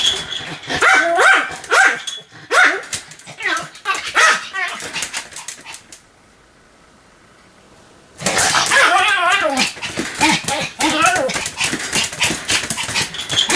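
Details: Pomeranian named Sam yapping repeatedly, high sharp barks in quick bursts, then about two seconds of near silence before another dense flurry of barking resumes.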